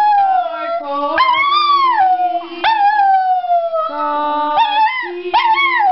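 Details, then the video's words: Domestic dog 'singing' for laughs: drawn-out tonal howls that swoop upward and slowly fall, several overlapping voices holding steady lower notes beneath, continuous with few breaks. "Funny Singing Dog Videos"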